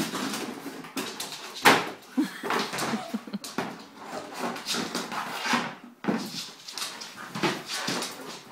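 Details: During play with his basket, Monty the bull terrier whimpers and grunts in short bursts, mixed with sharp knocks and rustling scrapes of the basket, all echoing in a small room.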